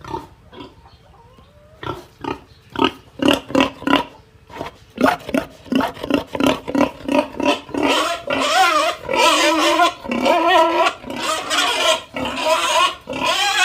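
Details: A crying pig squeals and grunts in short, harsh bursts that merge into long, wavering screams.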